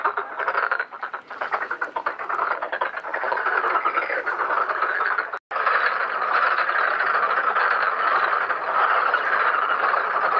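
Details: Black-spotted pond frogs in a crowded breeding pond, mating and laying eggs; individual rattling croaks stand out early, then merge into a dense chorus after a short silent break midway.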